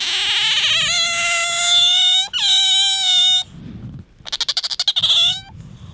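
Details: Pet otter squeaking for attention and turning affectionate when a hand is offered: two long, high, whistled squeaks, the first rising steadily and the second held, then a rapid burst of pulsed chirps ending in another rising squeak.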